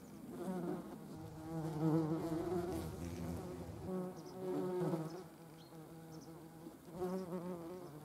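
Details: Yellow jackets gathering proteins for feeding larvae; a humming wing buzz that comes in three waves, loudest near the start, with quieter gaps between passes.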